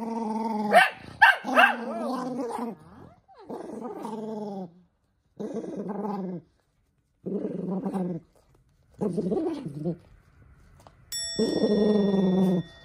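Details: Angry toy poodle Minato objecting to socks on its feet: opening barks and yelps give way to repeated rumbling growl bouts of a second or two, separated by short silences.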